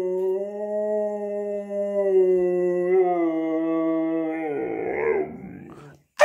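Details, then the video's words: Siberian Husky howl: a fairly low, even, drawn-out tone that holds for about four seconds, then breaks into a rough, noisy ending before a sharp click. "Husky aullando"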